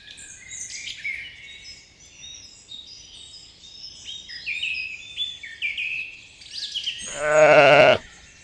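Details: Young sheep graze in a green forest while many small birds chirp and twitter steadily, then a short, loud bleat breaks out near the end.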